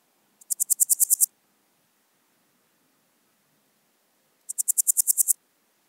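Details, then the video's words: At Wildhaus, Switzerland, in October 2022, a Swiss gold grasshopper gives two brief, sharp ticking phrases of about nine rapid high pulses each, separated by four seconds of near silence. "Podismopsis keisti -- Schweizer Goldschrecke -- Swiss Gold Grasshopper"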